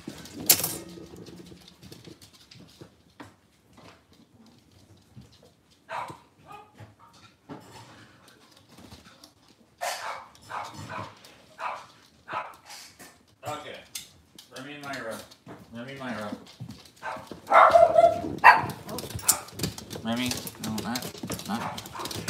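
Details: Cavalier King Charles Spaniel puppies indoors in a kitchen on a cloudy Monday morning give high, wavering whines and squeaks in irregular bursts, growing busier and louder toward the end, with soft knocks and handling noises around them.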